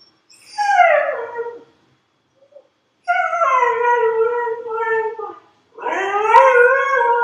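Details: Dog howling in three long, drawn-out notes, each sliding downward from a higher start, separated by short silences; the last howl wavers and rises slightly before holding steady.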